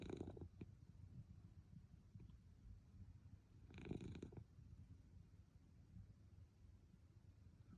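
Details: Napping Munchkin cat named Milk, heard as a soft low purring rumble with two breathy snoring breaths, one at the start and another midway, otherwise quiet indoors.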